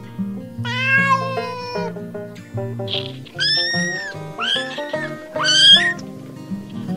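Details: Domestic cats and kittens meowing on a farm: several drawn-out, wavering meows, some rising and bending in pitch, over a steady musical backing of sustained tones.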